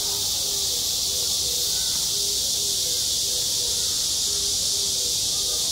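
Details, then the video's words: Cicadas droning in midsummer at a school playground: a steady, piercing high hiss without breaks, while faint low tones repeat about twice a second in the background beneath the insects. "한 여름 운동장에서 매미가 울고 있다 - 여름의 소리, 학교 종소리, 매미 울음소리"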